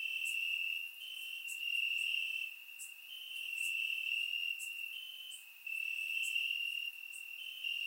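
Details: Crickets chirping in grass on a warm summer night in Bulgaria, recorded with a surround microphone; a continuous high trilling band with overlapping callers swelling and fading every second or two, plus faint higher ticks.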